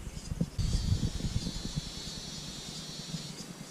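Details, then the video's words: Cicadas high in the treetops of El Palmar National Park, Entre Ríos, Argentina, drone in a steady, high, shimmering buzz among palm groves on an almost windless day. "lo que se escuchan son como las chicharras que hay en la copa de los árboles"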